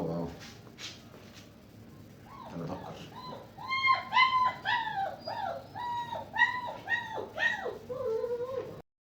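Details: German Shepherd puppies indoors in a small room give a run of high, arching whines and yips, rising then falling, about two per second and bunched together, after soft speech and a few faint yelps.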